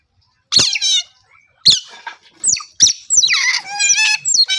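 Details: Sharp, high otter chirps come singly at first with gaps between them, then turn into a quick run of wavering squeaks.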